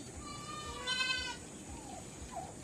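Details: Goats being given a salt and molasses drink in summer; one clear, wavering harmonic bleat lasting about half a second, with faint softer calls and low background rumble afterward.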